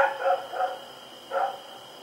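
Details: Rex the dog, running around in the night on October 7, 2018, gives three quick barks then a single one after a short pause, with a continuous high hum behind.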